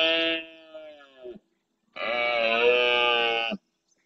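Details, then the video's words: Breeding red deer stag at dawn in the Doñana National Park marshes, Andalusia, Spain, courting his females during the rut: two loud, harmonic-rich roars, the first about 1.4 seconds and fading, the second a steady, strained blast near 1.7 seconds. "Berrea al amanecer"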